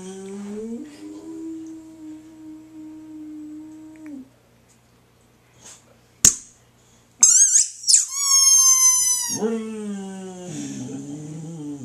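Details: A female Boxer dog howls in long, steady, mournful tones in response to a shrill squeaky toy that squeals between her howls.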